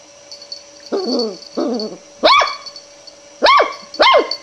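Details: A long-haired Miniature Dachshund puppy, afraid of a roll of ribbon yet wanting to investigate it, gives two soft, whining growls, then three sharp, high barks out of fear.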